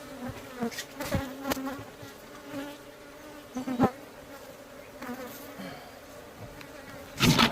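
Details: Beekeeping at a hive with bees said to be pretty aggressive; a steady droning buzz with sharp knocks, passing bees swelling the hum, and a loud close buzz near the end.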